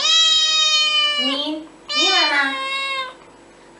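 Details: Domestic cat giving two long, drawn-out whining meows, the first steady then falling at the end, the second rising and bending down, with a short pause between.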